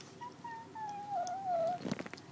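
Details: Matilda, a kitten, makes odd sounds while eating: a thin, drawn-out whistled tone that slides down and wavers for about a second and a half, then brief clicking chewing noises in a small quiet room.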